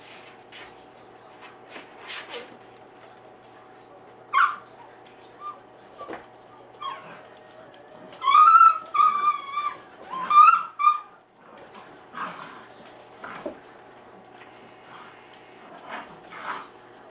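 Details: Saint Bernard puppies, seven weeks old, romping in a kitchen: scattered scuffles and short yips, then a run of high, wavering whimpers and whines with rising and falling pitch around the middle, before scrabbling resumes.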